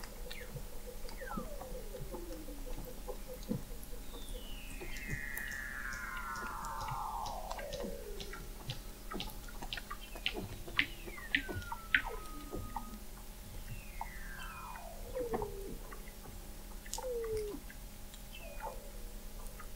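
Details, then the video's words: Beneath sea ice in McMurdo Sound, Antarctica, Weddell seals recorded November 2017 at 21 m depth: faint descending trills and sweeping whistles overlapping, with many quick clicks and ticks throughout. "Song of the Antarctic Weddell Seal"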